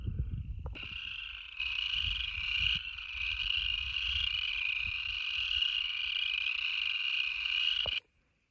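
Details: On March 16, around 70 degrees, in a wet grassy field in Maryland's Ridge and Valley region, breeding upland chorus frogs give high, rapid trills blending into one continuous shrill wash.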